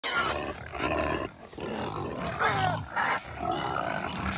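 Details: Noisy pigs giving a continuous run of harsh, overlapping squeals and grating screams, with sliding rising and falling pitch and brief dips between bursts.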